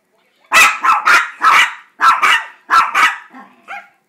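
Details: Pet Chihuahuas Gracie and JakeJake 'singing' for a treat, really begging: a quick run of loud, high, yappy barks in pairs and triplets, ending in a softer whimpering trail.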